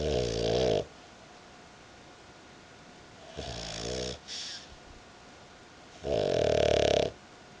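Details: Female dog snoring while asleep on a person's belly indoors: three loud rasping, buzzy snores, each lasting about a second, separated by quiet pauses of two to three seconds, with a faint steady hum.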